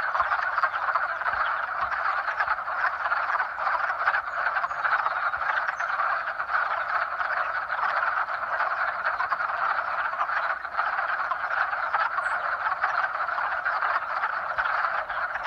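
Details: Spring frog chorus of mating calls: many overlapping croaking voices merge into a constant, even wall of sound with no pauses, holding steady throughout.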